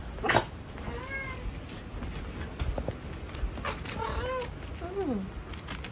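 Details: Cats on a stormy night while playing and fighting, with heavy rain; a few short arched meows and chirps rise and fall, scattered over steady low rain noise, with a bump and a woman's voice nearby.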